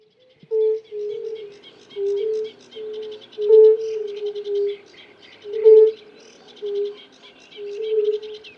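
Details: European fire-bellied toads, several males giving mating calls: soft, hooting single 'oo' notes, each under half a second, repeated irregularly and overlapping at slightly different pitches, with birds chattering and twittering in the background.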